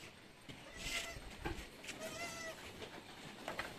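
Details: Anglo-Nubian goats during birthing at a farm in San Carlos City, Negros Occidental, Philippines, seven kids born in a day; a short thin bleat, then a clearer wavering bleat about half a second long, amid rustling and shuffling.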